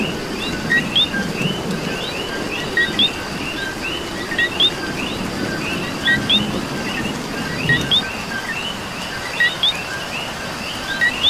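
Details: Coquís in Puerto Rico calling through rain, nearest frog giving repeated two-note whistles, low then sharply rising, at irregular intervals above a thick chorus of more distant frogs and continuous rainfall.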